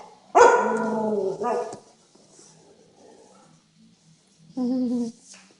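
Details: Adult Siberian Huskies playing with a Siberian Husky puppy: a drawn-out, whining bark lasting about a second with a short tail, then a quiet pause and a second, shorter whine-like bark.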